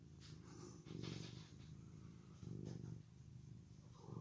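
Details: Male orange tabby cat, just brushed, gives a soft, low rumbling purr that swells in bursts about every one and a half seconds with faint breathy hiss between.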